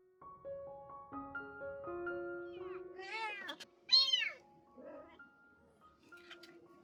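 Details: Rescued mother cat and kittens around her spay surgery; piano melody opens, then two strong high meows, the second louder and arched, followed by faint mewing as the music continues.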